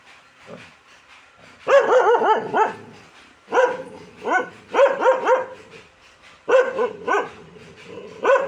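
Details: Dog barking in bursts of three to five quick, sharp barks, with short pauses between the volleys; the barks are mid-pitched and harsh, repeated over several seconds with little background sound.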